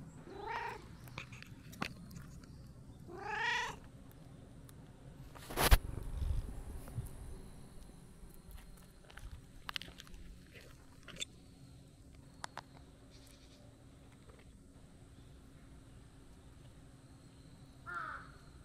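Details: Outdoors after a nap in tree shade, a brown-tabby-and-white cat notices a person and comes over to play; two short harmonic meows near the start, a faint one at the end, with scattered clicks and a sharp knock in between.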